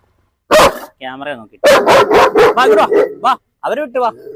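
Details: At a home in Perumbavoor, a German Shepherd let off its leash for a dog challenge gives a rapid string of sharp, heavy barks, with a man's voice before and after.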